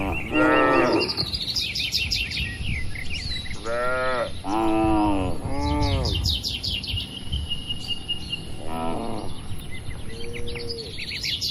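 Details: Tame cattle, dozens of them, in a large farm enclosure give a run of overlapping harmonic moos, some rising and falling, while birds twitter busily in the background.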